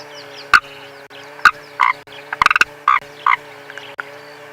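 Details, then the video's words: A frog hidden somewhere in the car gives short, knocking croaks at uneven intervals with a quick rattle of five or six notes midway, over a steady low engine hum, during a sunrise bush safari drive in January. "That's the frog, listen. Can you guys hear"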